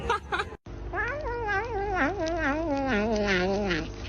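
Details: Kitten making a funny noise while eating: a long, wavering, warbling whine that slowly slides downward in pitch over about three seconds, after a brief cut near the start.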